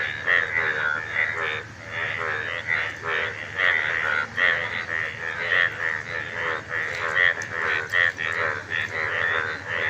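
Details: A steady run of nasal, throaty frog croaks every half second or so, overlapping into a busy chorus; the frogs fall silent and start calling together, throat sides swelling as they call, with faint background noise.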